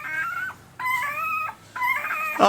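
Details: Week-old Pembroke Welsh Corgi puppy, April 2020 litter, produces three long, steady whines, each lasting about half a second to nearly a second with a slight upward bend, separated by short pauses; faint hum in the background.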